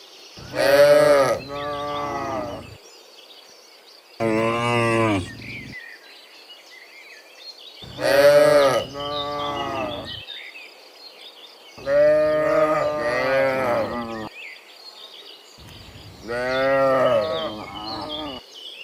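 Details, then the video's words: Dozens of cows walking home from the fields to the pen in the afternoon: five loud, rich moos over about nineteen seconds, some rising and falling, spaced by short pauses, with faint bird chirps behind. "Sound Dozens of Moo Cows Walking Home from the Fields to the Pen in the Afternoon, Sound of Cows"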